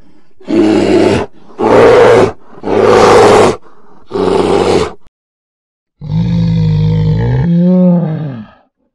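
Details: Polar bear roaring in four loud, harsh bursts about one second apart. After a short pause comes a longer, smoother groaning call whose pitch wavers and bends upward near its end.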